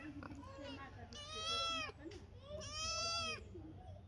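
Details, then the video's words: A cat described as a new guest in the home gives two drawn-out, arching meows, each lasting under a second and rich in harmonics, separated by a short pause, over a low background hum. "আমার নতুন অতিথি বিড়াল।"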